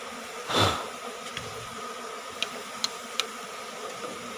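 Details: Asian honey bee colony taken from a cavity nest under the roof of a small rice-field hut, five combs gathered; steady droning hum throughout, a loud brief rustling burst near the start, then a few sharp isolated clicks.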